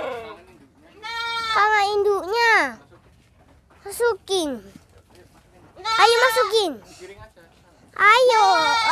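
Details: Bleating young goat, hard to catch, during play with a child: loud, quavering bleats in bursts, some rising then falling, with voices talking alongside.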